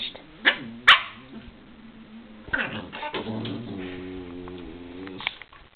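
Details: Two spaniels playing together: two sharp barks near the start, then scattered yips and a drawn-out, harmonic-rich playful growl toward the end.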